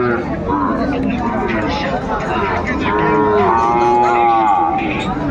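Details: Sahiwal cattle at a livestock market in Sylhet, Bangladesh, on 11 January 2025; a long, resonant moo swells midway and fades, over a dense background of crowd chatter and market bustle.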